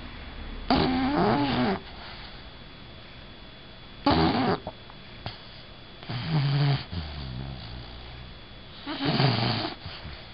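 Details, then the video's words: Bella, a female Bulldog, snoring while asleep indoors: rough broadband snores about every three to four seconds, each lasting about a second, with quieter wheezy breaths between them. "Do Bulldogs Really Snore?"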